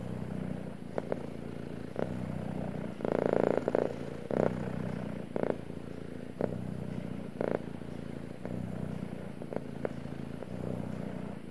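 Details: Male cat purring in a low, continuous rumble, with a louder, fuller stretch near the middle and scattered brief clicks or breathy bursts over the steady drone.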